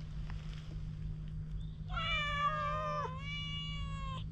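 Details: Wary stray cat, fearful of people, recorded on a GoPro HERO8 while being groomed with a cat brush. It gives one long, drawn-out meow, holding a steady tone before a short dip and continuation, over a constant low electrical hum.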